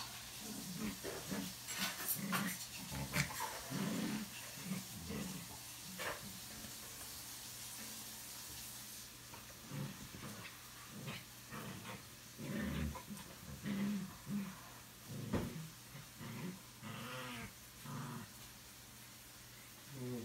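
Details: Two pet dogs, $amson the Boxer and BELLA the Chorkie, romping and acting crazy at home; rough grumbling growls and snorts in quick bursts, roughly one per second, with hissy background noise early and scuffles between.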